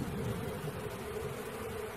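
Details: Honey bees streaming in as their swarm is caught give a loud, steady droning buzz, thick and constant, with a rumbling low layer below.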